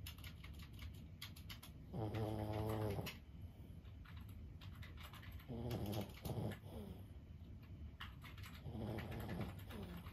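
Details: Soft, rattling snores from Lulu, a 15-year-old Boston Terrier dozing indoors. Three rumbling snores come about three to four seconds apart, the middle one broken into stuttering pulses. Light clicking sounds are heard in the background.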